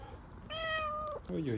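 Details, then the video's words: Hungry Istanbul street cat asking for food with an odd-sounding call: one sustained, steady, bright meow lasting under a second, followed immediately by a woman's soothing voice speaking to it. "Hungry street cat meows for food with a strange sound"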